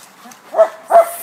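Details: Bulldog barking at a dog park, a rescue dog outing: two short, loud, harmonic barks about a third of a second apart, each with a clear tonal core, over a quiet background.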